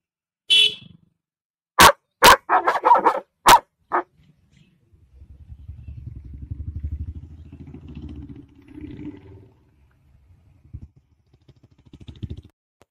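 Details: Female Tibetan Mastiff that barks at other animals, such as dogs, coming near: about six loud, sharp, harsh barks in quick bursts during the first four seconds, then a low droning engine rumble and faint scattered sounds.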